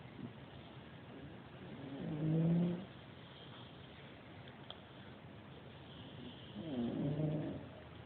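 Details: Sleeping dog snoring, two slow low rumbling breaths about four seconds apart, each swelling and fading over roughly a second against a quiet hiss.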